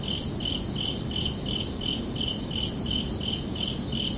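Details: Under a night sky, crickets repeat high, clear chirps a little more than twice each second, steady and unhurried, above a quiet low hiss.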